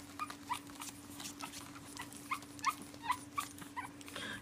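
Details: Pug named Prince Harry indoors at night, protesting bedtime and wanting to come out and play: short high squeaky whimpers and whines about every half second, some rising, over a steady low electrical hum.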